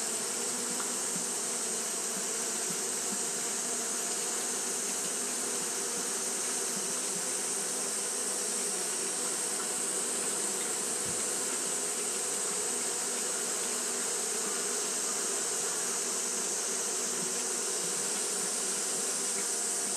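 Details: On a hot day, Japanese honey bees keep up fanning behaviour, giving an unbroken low buzzing drone with faint pulsing texture beneath a steady shrill high hiss.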